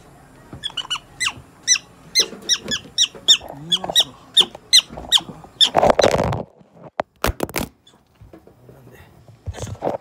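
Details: Prairie dog receiving eye-drop treatment at a Nagoya animal clinic, giving a rapid run of about a dozen high, piercing squeaks roughly every third of a second, then handling noises, a few loud knocks and low voices.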